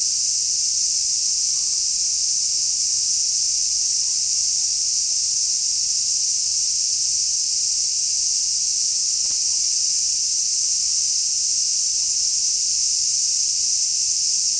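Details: Large brown cicada singing at Kenmin Kenko Fukushi Mura in Koshigaya, Saitama, Japan, recorded on 6 August 2016: an unbroken, loud, sizzling hiss, like oil frying, held steady at high pitch throughout with no pauses.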